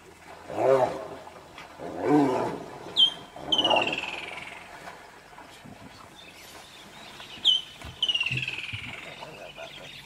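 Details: Wild dogs clash with a hyena trying to steal their food. Harsh, rasping bursts come twice at first, then high whistled squeals slide downward in short series, with background noise between them.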